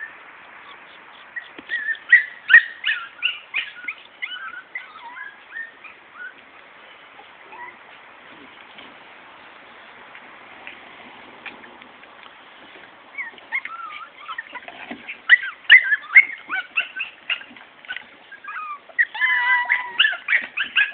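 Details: Morkie puppies, a Maltese and Yorkie cross, giving bursts of high squeaky whimpers and yelps in two busy spells separated by a quieter stretch of faint scattered squeaks.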